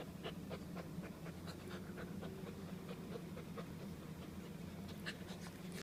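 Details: A tired three-month-old purebred German Shepherd puppy, a female just back from a walk, pants rapidly in even breathy bursts about four per second, with a steady low hum underneath.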